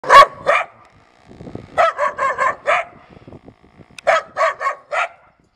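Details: Mixed-breed village dogs at a family home in the Polish countryside, giving sharp, loud barks: two quick barks, a pause, then two runs of four evenly spaced barks, with faint rustling in between.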